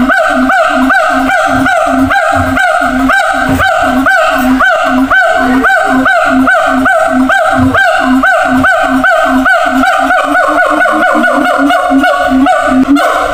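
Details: Siamangs at a zoo, kept in separate cages, shouting to communicate with each other across a distance. A loud, continuous series of rising, hooting notes with strong overtones comes about three per second throughout.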